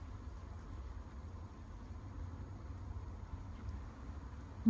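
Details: Low muffled rumble and faint handling noise, ending in a short loud thump, with no animal call.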